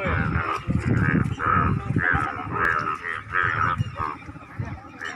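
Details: Scores of Indian bullfrogs, which turn bright yellow to attract mates, chorus in loud, nasal, honking croaks overlapping about twice a second as mating calls.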